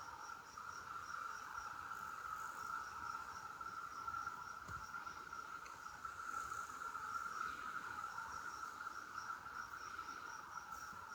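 Cicadas hold a steady, unbroken droning buzz, with a faint rapid pulsing chirp higher up.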